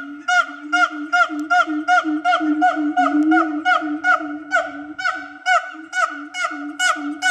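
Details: Siamang gibbons in a wildlife park enclosure at Fota, calling to announce their presence; rapid, evenly repeated hooting barks, roughly two to three per second, over a continuous droning tone throughout.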